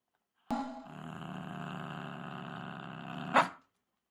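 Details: Shiba Inu obsessively and stubbornly fixated on a ball, growling: one sustained low rumbling growl lasting about three seconds, ending in a brief louder harsh burst.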